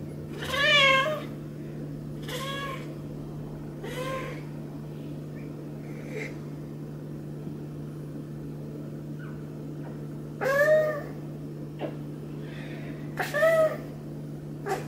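A Maine Coon cat meows repeatedly, each call a brief arched mew, some drawn out and others clipped. A steady low electrical hum runs underneath throughout.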